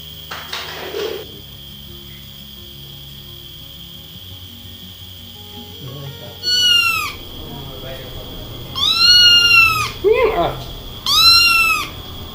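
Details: Munchkin kitten trapped inside a narrow pipe, calling as rescuers work. A brief scrape comes first, then a pause, then three strained, high meows that rise and fall, each about a second long. A constant thin whine runs behind them.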